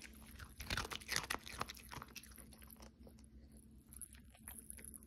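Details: Pomeranian named Cookie crunching food at close range: a rapid flurry of loud, crackling bites early on, fading to scattered softer chews and quiet mouth noises in a small room.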